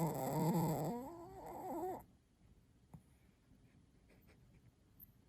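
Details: Kohaku the Chihuahua snoring hard late at night indoors: one long, loud nasal drone with buzzy harmonics that sags slightly in pitch over about two seconds, then stops, leaving quiet room tone with faint ticks.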